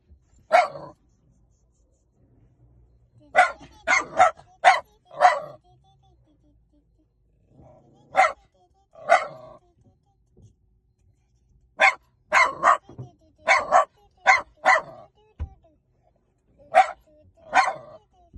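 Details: Dog barking in sharp, loud bursts: single barks and quick runs of two to four, separated by short quiet pauses, with faint background noise.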